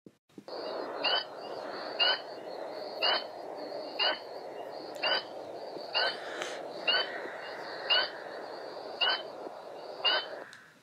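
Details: Spring peeper, a frog named after its call, heard peeping in March, April, May and sometimes in fall, very loud and audible over a kilometer away: even, high, clear peeps repeated about once a second like a timer's beep, with faint background hiss.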